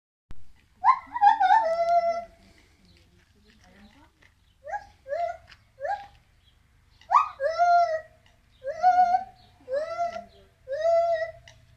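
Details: A monkey at Germendorf animal and leisure park, Germany, 18 October 2018, howls in rich, tonal wails, each dropping in pitch about a second apart, in bouts of three or four separated by short pauses, over a faint low hum.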